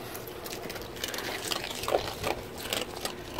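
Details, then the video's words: Katmai, an eight-year-old female rescue sea otter at Vancouver Aquarium, eats a sea urchin with sharp crunches and wet smacking clicks over a soft watery hiss; a second otter nearby also eats an urchin, grunting and chomping. "This Is What Sea Otters Eating Sound Like"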